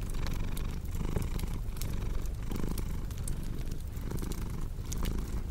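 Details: Cat's purr, a soft rumbling drone pulsing in breathy waves, heard beside a crackling fireplace whose sharp ticks and pops dot the background.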